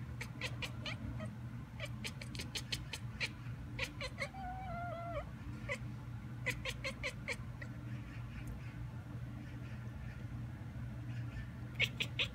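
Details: A pet cat by the window copies a magpie heard outside. Fast staccato clicks come in quick series, with a brief wavering tonal mew midway. Steady low hum throughout.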